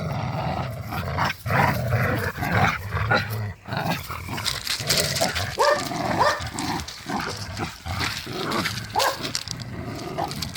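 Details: Pit bulls playing tug of war in a yard, growling and snarling continuously in rough low rumbles, with sharp yips and squeaky-toy squeals breaking through and scuffling between them.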